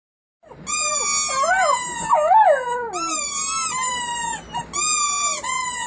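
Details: A family of puppies howling together: several overlapping wavering, sliding howls, rising and falling, with high pitched whining tones layered above, sustained through most of the clip with brief pauses.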